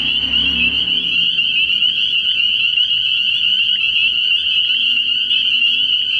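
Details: Early-year frog pond at night, packed with spring peepers whose piercing high peeps blend into a constant trilling band; brief low murmurs at the very start.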